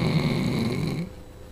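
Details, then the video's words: Roxy, a female Labrador Retriever, snoring while asleep: a low, rough rumbling breath with a steady buzz lasting about a second before it fades to quiet. "Roxy the Labrador snoring"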